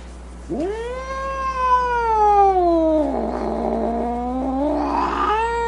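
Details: Mad cat yowls in one sustained, strongly harmonic cry that swoops up, holds, then slides lower and roughens into a growling, snarling tone before lifting again at the end.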